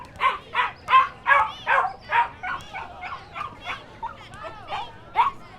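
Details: Dogs and puppies yapping in a hurried string of high barks, strong at first, then fading into weaker, whining yelps before one last sharp bark.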